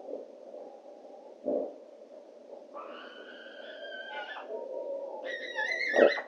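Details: Two fox vixens (a family of foxes) at night in 2024 give two long, strained, somewhat wailing harmonic-rich calls, each holding a tense tone before breaking off, calling for a male, over steady hiss and a couple of dull knocks.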